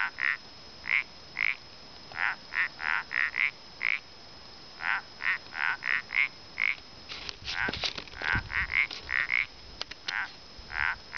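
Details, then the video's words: Common parsley frogs at Gotarta near El Pont de Suert giving brief nasal croaks in steady runs, roughly two per second, with faint clicks and rustles partway through. "Gripauet de punts a El Pont de Suert (Gotarta)"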